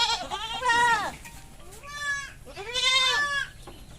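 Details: Three drawn-out, quavering bleats from mating goats on a goat farm, each about a second long with rich harmonics, separated by short pauses and a faint thin tone in between.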